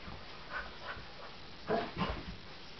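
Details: Cocker Spaniel Husky mix dog indoors, reacting to a toy animal it sees for the first time and takes for real; two short, soft, low woofs close together near the end, over faint shuffling room noise.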